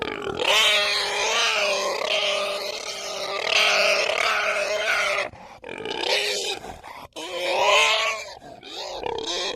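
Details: Pig squealing loudly in long, shrill, harmonic cries, nearly continuous for several seconds, then broken into shorter bursts with brief pauses.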